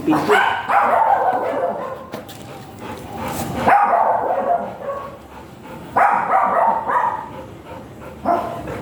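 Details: Giant Golden Retriever at a stud service in Binalonan, Pangasinan, barking in repeated clusters of sharp, mid-pitched barks separated by quieter gaps, with human voices in the background.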